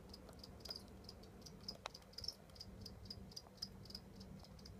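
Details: Captive European house cricket reared as feeder stock, filmed while molting; faint, high, thin chirps repeated steadily about three to four times a second over a low background hum.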